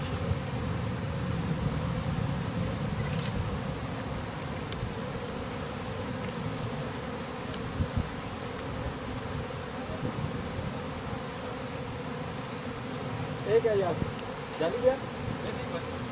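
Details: Honey bees make a continuous low droning hum throughout. Near the end, a couple of single bees pass close by, their buzz briefly sliding up and down in pitch.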